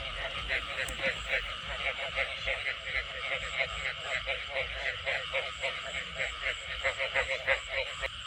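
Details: Rural frog chorus after a heavy rainy-season downpour, dense overlapping pulsed croaks repeating about three times a second in a steady rhythm, with faint background noise.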